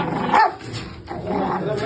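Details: A Rottweiler gives a harsh, rumbling growl with a sharp snarl, an aggressive warning, while having its nails cut.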